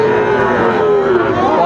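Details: Sahiwal bull offered at a cattle market in Cumilla, Bangladesh, on 19 September 2024, as farmers buy bulls: one sustained, even, low moo lasting under two seconds and falling slightly in pitch, over steady crowd and market noise.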